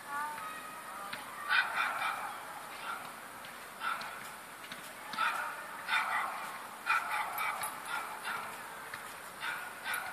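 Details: Bracco Italiano dogs Birba Bovisasca and Pluto, said to be in love, giving short barks in separate bursts about every one to two seconds, with a steady background hiss between them.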